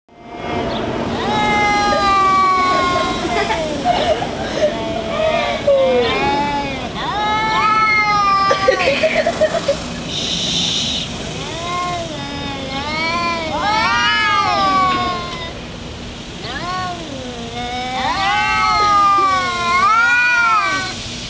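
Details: Two domestic cats, one a black cat named Shadow, yowling during a fight outdoors: long wavering howls rising and falling in pitch, overlapping between the two animals, with background traffic-like rumble.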